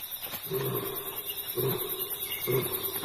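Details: A lioness roars to call her pride; the roars are instead heard by two nomadic rogue male lions. Three deep, grunting roar bursts come about a second apart, each short and low, over faint background hiss.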